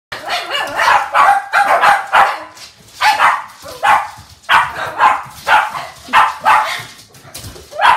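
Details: Several Shih Tzu dogs kept as a pack, playing indoors with balloons during wet British weather; sharp high barks come in rapid bursts, several dogs overlapping, with brief pauses between flurries.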